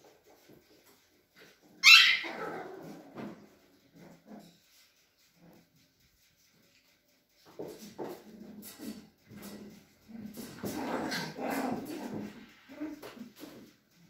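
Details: Cavalier King Charles Spaniel puppies at a breeder's home in the Sierra de Madrid, Spain: one sharp high yelp, then quiet, then a busy stretch of soft whimpers and squeaks indoors.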